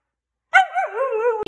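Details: A single wavering, tonal moan from an excitable Siberian Husky, about a second long, rising sharply at the start and then undulating gently before cutting off.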